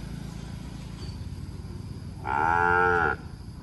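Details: Cattle in Cambodia, linked to a successful breeding on 6 November 2023, give a single steady, rich moo lasting under a second, after a low rumble of background noise.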